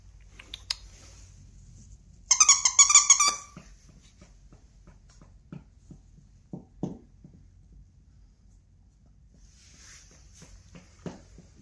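A Cavalier King Charles Spaniel lets out one short burst of high, quavering whimpering that lasts about a second. Afterwards the room falls quiet apart from faint taps and shuffling.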